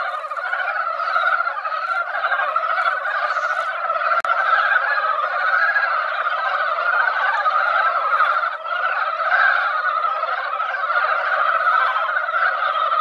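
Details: At a mountain-valley pond, mountain frogs that emerged after a light rain call en masse during breeding time; a loud, seething mesh of rapid croaks runs throughout, with a couple of sharp knocks midway.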